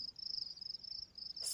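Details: Recorded nature sounds of a singing cricket: a continuous high-pitched shimmering trill, fast and even, ending in a short burst of noise.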